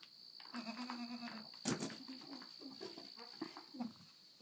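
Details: Pet goat recorded by its owner, at one point trying to mount the person; one steady nasal bleat lasting about a second, then a run of short gurgling grunts and a brief rustling thud over a constant high electronic whine.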